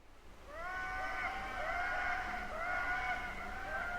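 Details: Wild indri (Indri indri) in Madagascar, recorded by a passive acoustic monitoring array: song of loud, wailing harmonic notes, with several voices overlapping in long sliding phrases.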